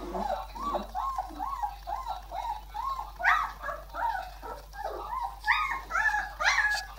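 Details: Irish Wolfhound whining in a steady run of rising-falling whimpers, about two per second, growing higher and more urgent toward the end.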